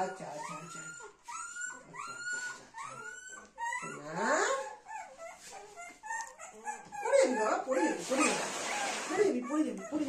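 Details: Little Dona, a Golden Retriever, with mother Anna and grandmother in a small room. A series of short, arching whimpers comes first, then a sliding whine. Excited human chatter and mixed noise build up later.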